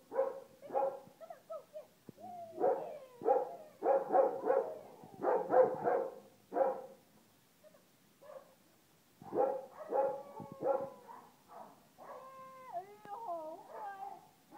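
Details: Samoyed dog Bao Bao, just arrived in Hong Kong, gives bursts of short, yelping barks and whines in uneven clusters, pausing briefly, then ends with higher, wavering, drawn-out whimpers.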